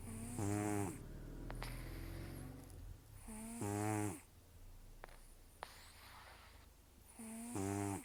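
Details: Sleeping rescued cat Taro, estimated 10–14 years old, taken in October 2024, nearly toothless from gum disease and long outdoor life, snores heavily: three rough, buzzy, harmonic inhalations roughly every three and a half seconds, with soft breathing between.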